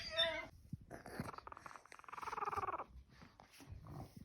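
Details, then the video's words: Pug puppies, fourteen days old, just starting to walk and making low noises while their mother guards them: a short whine, then snuffly grunts and a rhythmic, purr-like low growl through the middle, with soft rustling. "puppies pug dog 14 day old,started walking and making low noises"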